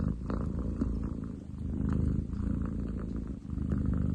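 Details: Ten chan, a young male long-legged munchkin cat, recorded 30 July 2023, purring loudly: a continuous low rumbling drone with steady pulsing, swelling and easing with each breath.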